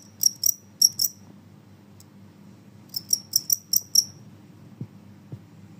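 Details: Noisy call of a Genggong cricket. Two sharp, high chirps are followed by a pause, then a tight cluster of five shrill metallic pulses. A couple of soft low knocks follow over faint room hum.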